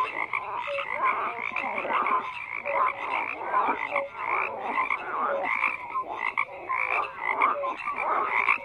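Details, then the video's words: Frogs croaking in a dense, unbroken chorus: many overlapping rattling croaks layered with short, clear mid-pitched tonal notes, pulsing steadily throughout with no other sounds. "FROGS CROAKING"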